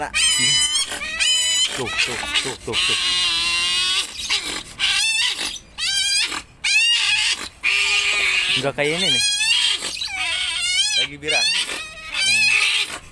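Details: Group of pet otters, once quarrelsome but now getting along, calling up close: long run of shrill wavering squeals and quick chirps in irregular bursts, with people talking in Indonesian between calls.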